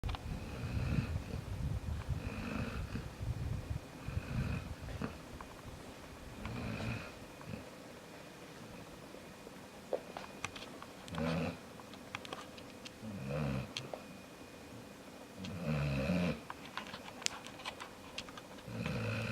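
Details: Jaxson the dog snoring while asleep indoors, slow rumbling low snores roughly every two to two and a half seconds, each a rough buzzy inhale with faint higher whistly overtones, a few soft clicks between breaths.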